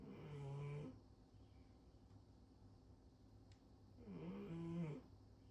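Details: Heavy indoor snoring of Rincharo, a female cat sleeping on her back atop the fridge: a gravelly snore at the start and another about four seconds later, each a low, rattling drone under a second long.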